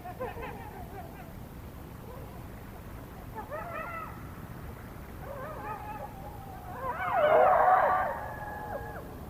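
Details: Around 1:22 AM on 21 February 2022, several coyotes near the North Nest call in a loud night chorus of wavering, sliding howls and quick high yips, swelling near the end before trailing into a long falling howl.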